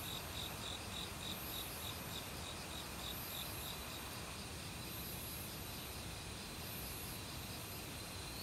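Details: Forest crickets singing in autumn, mixed with various other insects and a valley stream, recorded on non-professional gear. A rapid, regular train of thin, high chirps runs through the opening seconds over a steady hiss of rushing water.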